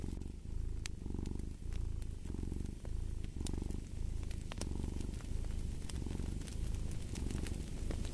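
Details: Steady purring from a cat, rumbling bursts repeating roughly every second in an even breathing rhythm, accompanied by intermittent sharp pops and crackles of a fireplace.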